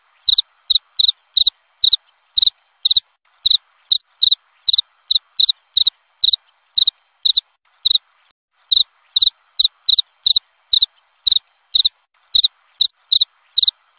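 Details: High, pulsed cricket chirps repeating steadily near two per second, with one noticeable pause midway before the rhythm resumes; quiet background.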